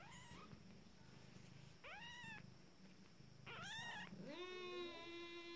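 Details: First-litter Abyssinian kittens at 14 days, beginning to walk, mew repeatedly in arched harmonic cries, ending with a longer, lower, drawn-out wail, while a low purr throbs underneath.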